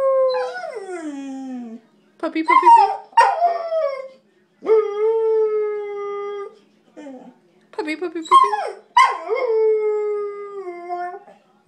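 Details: Talkative pet dog howling away in a series of falling, wavering howls broken by short sharp yelping bursts, the voice sliding downward at the end of each howl, with pauses between phrases.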